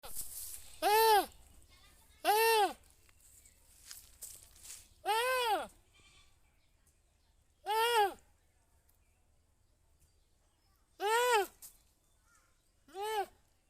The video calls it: funny goat sound